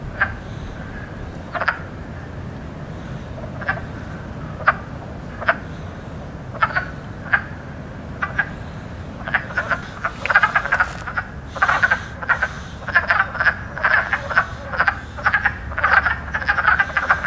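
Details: Spring wood frogs calling, said to be the loudest frogs at the moment, their swelling sacs near the lungs powering the croaks; short clucking croaks start sparse and scattered, then crowd into a dense, overlapping chorus in the second half.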